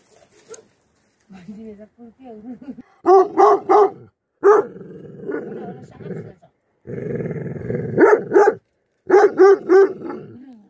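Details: Livestock guardian dogs barking in loud bursts of three or four deep, harmonic barks, separated by lower growling rumbles and a whining, higher tone near the start.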